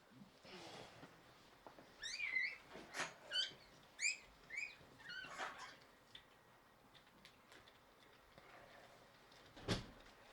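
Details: Shiba Inu litter: Yuna giving birth to four puppies, three female and one male, early morning of 19 January 2023. A run of high, sharp squeaks repeated about once a second for several seconds, then quiet room noise and a single knock.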